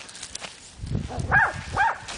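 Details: Angus, a Boxer pup, outdoors near a flower bed on March 1: two short, arched yelps about half a second apart, each rising then falling, after soft rustling and footsteps.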